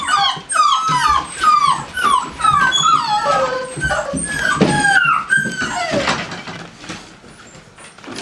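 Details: American Staffordshire Terrier from a breeding kennel making rapid, repeated high whimpers and yips, roughly two per second, each sliding down; the calls thin out and fade toward the end.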